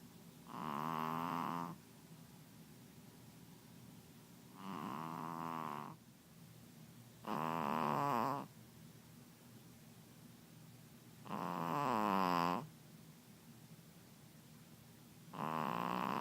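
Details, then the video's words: Nina, a female Pekingese, snores loudly as she habitually does, each rasping, buzzy snort lasting about a second and recurring every few seconds. "Nina The Pekingese Can Really Snore!"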